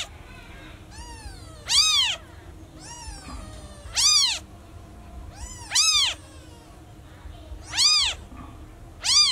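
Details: Lost newborn kitten crying for its mom, giving paired calls: a fainter, thin mew followed at once by a louder, sharply arched one, five such pairs in about nine seconds.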